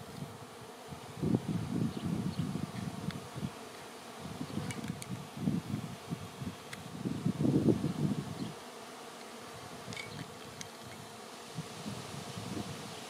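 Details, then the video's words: Honey bees swarming, having filled the air and landed on a branch before being moved to a new home. Deep, rough buzzing pulses rise and fall repeatedly, with loudest swells around the middle over a constant background drone. "Honey Bee Swarm"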